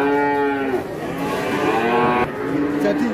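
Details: A huge Pegon bull, called Leher Beton or concrete neck, on arrival. It gives a loud, sustained, rich-toned moo that sags in pitch, followed by a softer second low, with faint music behind.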